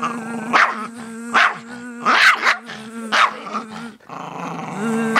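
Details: Agitated by a buzzing noise, a male dog mixes sharp barks with growls at irregular intervals while a constant, nasal buzz drones underneath.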